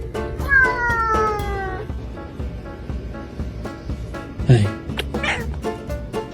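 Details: Domestic cat meowing in a funny compilation: a drawn-out, slightly falling meow over about a second, then quieter, over steady background music with a brief voice.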